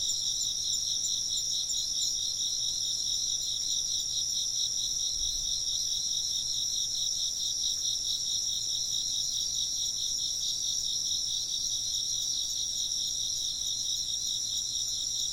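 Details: Insects chirp together in a dense, high-pitched chorus, several layered trills running without a break, the lower trill throbbing rapidly and evenly, a few faint higher chirps near the start.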